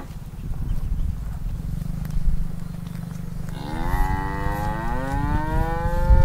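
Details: Angry cow trapped in an irrigation ditch by a grass field: after about three seconds of low rumbling and shuffling, a loud, drawn-out moo begins, rich and harmonic, rising slightly and holding for over two seconds.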